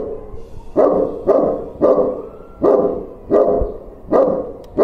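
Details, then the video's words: Domestic dog barking at a stranger: loud, harsh barks in a steady series, about seven within five seconds, each a short broadband burst with its weight in the low-middle range, nothing else heard. "When Dog Meets With Stranger"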